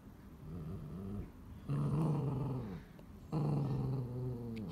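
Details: Dog, scared while trying to remove a feather from a spiderweb, gives low rumbling growls in two long drawn-out bursts with a short quieter pause between them, indoors.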